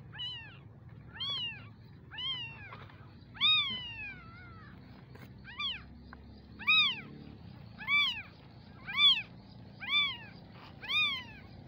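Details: Baby kittens give clear, high-pitched mews, each a short rising-then-falling cry, repeated roughly once a second with a few faster ones early on, over a quiet low background hum.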